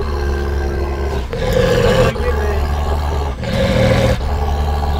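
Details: A large champion Anatolian Shepherd Dog in Aksaray, Turkey, intolerant of people, gives deep, rumbling growls in long repeated bursts as someone approaches; its tail stays unchanged, suggesting confidence.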